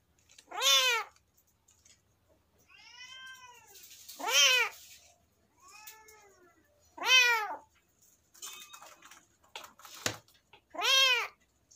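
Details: Kitten meowing indoors: four loud harmonic meows, each under a second and arched in pitch, spaced about three seconds apart, with softer quieter meows between them and faint clicks and rustles.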